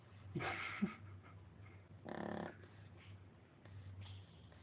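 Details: Sleeping female Shar Pei snoring as loudly as a grown man: soft, breathy, rasping snores in separate drawn-out breaths about every one and a half seconds, over a low steady hum.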